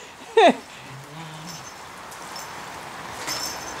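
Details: Japanese Chin at play indoors gives one sharp, high yip, followed by a quiet stretch with a low hum and soft rustling.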